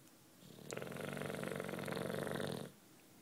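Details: Sleeping British bulldog Juanito, nine years old, gives a single long, vibrating snore of about two seconds, a rapid buzzy rattle over a low hum, ending abruptly in quiet room tone.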